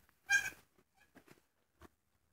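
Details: Pygmy goat kid, born the day before, in a pen with its mother and a sibling, indoors on straw: one loud, high, tonal bleat lasting about a third of a second, then a few faint, soft, brief sounds.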